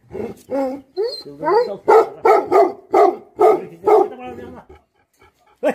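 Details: Bhote Kukur, or Tibetan Mastiff, dogs barking angrily: a few rising yelps lead into a steady series of deep, harsh barks, then a pause and one last bark.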